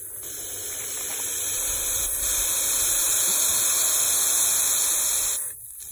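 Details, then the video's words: Defensive hiss of an eastern hognose snake, recorded in fall 2019 while it flattened out to scare away a potential predator, the person filming: one long, steady rushing exhalation lasting over five seconds, swelling slightly and then stopping abruptly. "Hissing Eastern Hognose Snake!"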